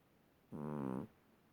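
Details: Sleeping pet cat snoring indoors: a single half-second rasping breath with a steady, buzzy harmonic tone, otherwise quiet room.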